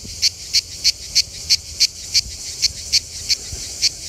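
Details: Manna cicada singing at a rest area south of Lyon, France, in the Mediterranean summer: sharp, high-pitched pulses repeated about three times a second, steady and clicking, over low background rumble.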